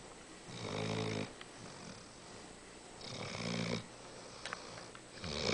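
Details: Molly, a five-month-old St. Bernard puppy, snoring while asleep indoors: two long rasping snores with a buzzy low rumble and hissy upper breath, about two seconds apart, with quieter breathing between.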